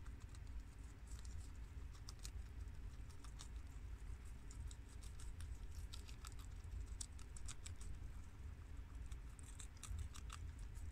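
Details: Guinea pigs of American, Abyssinian and long-haired mini yak types munch washed romaine lettuce from the garden, sharp crisp bites clustering densely, then thinning, over a low droning background.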